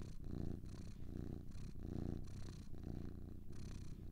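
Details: Two purring cats produce a low, throbbing rumble, louder on alternating breaths, the pulses coming a little under one per second over a soft background hum.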